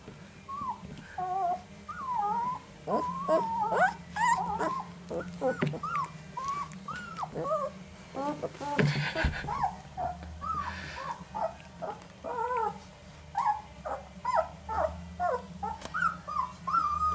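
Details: Northern Inuit puppies, three males aged 11 days, producing dense overlapping whimpers and squeaks throughout, with a brief rustle and a woman speaking softly to them.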